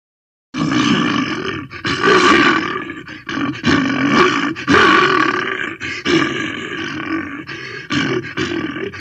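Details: A bear at Alipore Zoo, Kolkata, gives harsh, rasping growls and roars in a steady run of throaty bursts.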